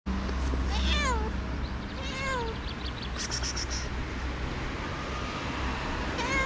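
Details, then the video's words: Domestic cat giving several short meows, each a falling harmonic call repeated about every second, over a steady background hum with brief clicking noises near the middle. "The cat says something"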